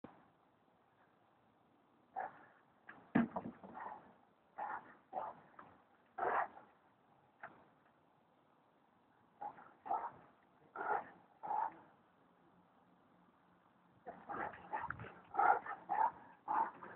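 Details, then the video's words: Bully dog; short sharp barks in bursts, some in quick doublets, separated by quiet gaps, with a faint low hum in the background. "bully kutta mothi"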